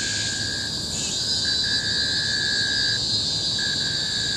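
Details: Cicadas shrilling at Bukit Timah Hill, Singapore, 2017: an intense, continuous high-pitched drone with slight swells, accompanied by a lower sustained tone that stops and restarts several times.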